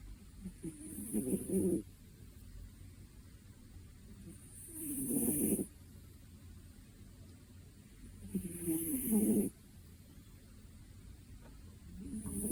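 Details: A sleeping two-year-old cat snores steadily. Four rough, low inhalations come roughly every three and a half to four seconds, with quiet breathing in between and a faint high hiss on each snore.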